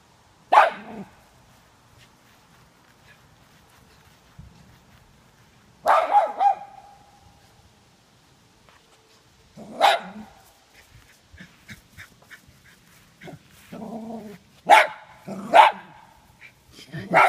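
A Cairn Terrier gives sharp, single barks spaced several seconds apart while guarding its yard.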